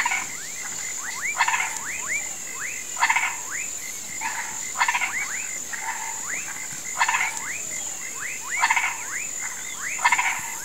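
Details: At dusk in a rural swamp, frogs and toads croak as if calling for rain: rapid upward-swooping notes in clusters, broad rasping pulses roughly every two seconds, and a steady high-pitched insect whine.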